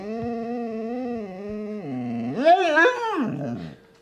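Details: Siberian Husky vocalising indoors: a steady, wavering whine held for almost two seconds, then dropping lower before rising into a louder, bending yowl that breaks and fades out.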